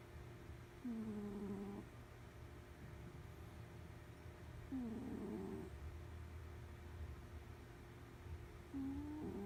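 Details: A sleeping cat snoring, with three low, groaning tonal breaths that dip slightly in pitch, spaced about four seconds apart, over a steady mechanical hum and a low rumble.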